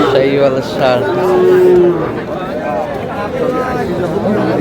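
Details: Sahiwal bull calf at a cattle market in Khulna on Pahela Baishakh, the Bengali New Year; a steady, mid-pitched moo held for under a second, surrounded by crowd chatter and men haggling over the price.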